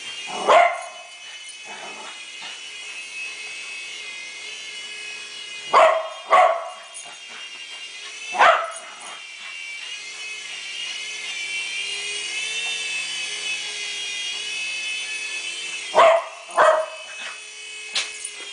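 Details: A dog named Betty barks at a WL Toys V388 Hornet remote-control helicopter while playing with her owner at Christmas. Loud single and doubled barks come in bursts separated by long gaps, and the toy's high motor whine fills the background.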